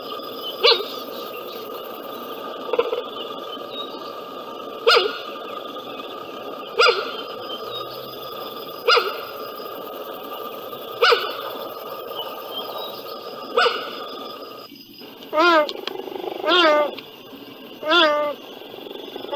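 A cheetah gives sharp, bird-like chirps about every two seconds, then a few wavering yelps.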